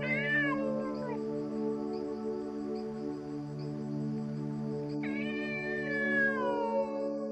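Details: Cat meowing twice, each a bright call that slides downward, the first at the start and the second about five seconds later, set against a continuous calm piano backdrop.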